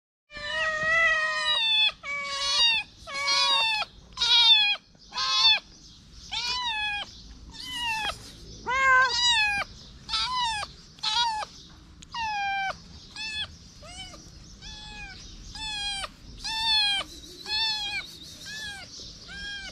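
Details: Little feral kitten standing on two legs to lick fingers, meowing persistently: a run of high, insistent mews about once per second, some rising then falling, a few short and clipped, with quiet gaps between.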